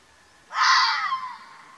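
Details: Wild Arabian fox (mountain fox) in Oman gives one harsh, hoarse screaming call of about three quarters of a second that starts abruptly, then fades into a breathy tail, with quiet background and no other sounds.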